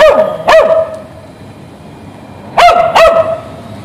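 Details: ['A dog on the street, tied to a fence while its owner shops, barks in two pairs of loud sharp barks separated by about two seconds of quiet street background.']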